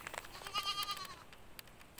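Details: Goat at a pen where goats have just given birth; a single high, tonal bleat with stacked harmonics, held steady for about half a second and then fading, with faint clicks and rustling around it.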